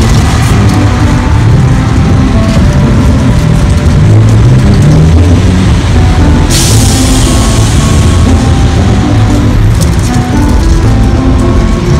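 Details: Loud, dense low rumble of engine or vehicle noise mixed with music, steady throughout, with a brief hiss-like burst at about six and a half seconds; no animal voice stands out.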